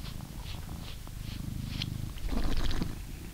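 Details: Male blue British Shorthair from England purring as he is brushed, a rumbling low purr that grows louder toward the end, with several short brush strokes at the start.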